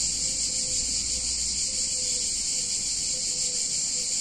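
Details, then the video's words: Summer cicadas in a picturesque Italian town on a hot day, forming an unbroken shrill hiss-like drone. Faint, short, mid-pitched tonal notes repeat quietly in the background. "Cicadas In Warm Summer Day In Italian Town"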